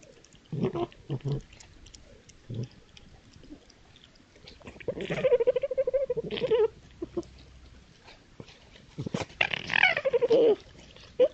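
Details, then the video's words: Red foxes at night in East Sussex countryside, woodland edge by fields, recorded on a trail camera during play or fighting: scattered soft yaps, then two long wavering crying wails with harsh noisy onsets. "Foxes Making Strange Sounds In The Countryside"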